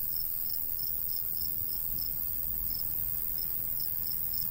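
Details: Summer countryside cricket sound: thin, high chirp pulses, somewhat uneven in spacing, set against a light breeze rustling over a golden wheat field.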